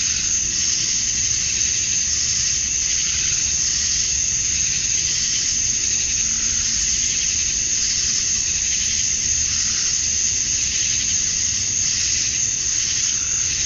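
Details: At summer dusk in Georgia, USA, male cicadas sing to attract females, a thick, continuous shrill hiss that waxes and wanes gently every second or two across the whole stretch.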